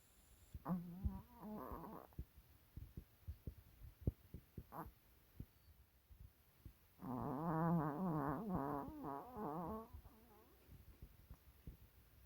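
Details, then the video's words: Napping Maltese dog snoring: two stretches of buzzy, wavering snores, one brief near the start and a longer one midway, separated by soft irregular clicks and ticks over a quiet background. "[코골이 주의]🍦 터키 아이스크림🍦 완판 코골고 낮잠자는 강아지"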